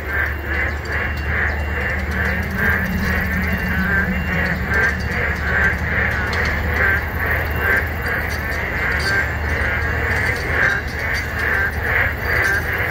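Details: Boreal digging frogs chorusing loudly in a wetland on the morning of 24 June 2022, phone-recorded on a breezy walk; dense, overlapping croaks repeat about twice a second in a steady throbbing rhythm, with cool wind rushing throughout.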